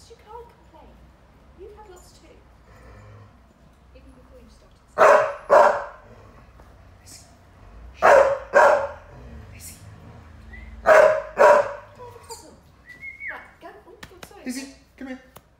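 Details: Lizzie, a Ridgeback Staffy cross, barks at Saluki Lurcher Fred for being boring, wanting him or anyone to play: three pairs of sharp barks around five, eight and eleven seconds, with quieter grumbles and a person talking between them.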